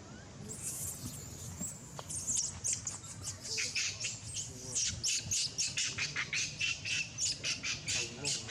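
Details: Abandoned monkey crying very loudly: shrill, high squeals that grow into rapid, regular pulsed cries about four per second, with human speech faint underneath.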